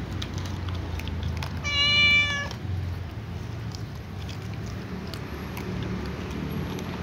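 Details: A calico cat asks to be fed alongside other cats, giving one loud, drawn-out, clearly tonal meow lasting under a second, then quiet with a steady low background hum.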